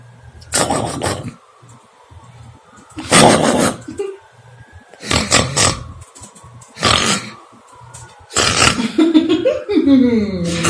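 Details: Figo, a Shih Tzu pup, snoring while asleep: loud, rough, rasping snorts repeated about every two and a half seconds, with a low hum between breaths and a brief tonal, whine-like sound near the end.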